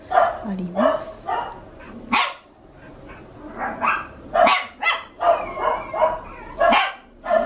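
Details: Two-month-old red male Toy Poodle puppy in an indoor home setting in Tokyo yapping repeatedly, short sharp barks roughly every half second to second, mixed with human voices and brief pauses.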